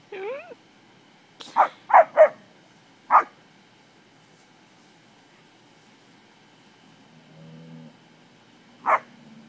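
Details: English springer spaniels playing among cattle give a cluster of three fast barks, a single bark, then a lone bark after a quiet stretch, with a brief voice at the start and a faint low moo.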